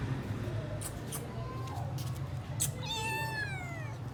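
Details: Kittens being fed, thin plaintive meows, a faint one early then a longer wavering high meow near the end, over constant low hum and some tapping.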